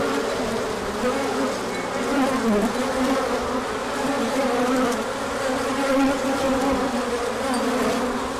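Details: Honeybee swarm of foragers on orientation flight in sunshine after cold days, 24 March 2024: sustained buzzing chorus, one bee sweeping by with a dipping then rising whine near the middle.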